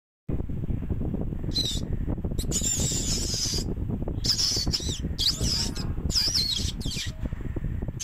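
Meerkats give high, squeaky chirps and wavering whistles over a steady low rumble.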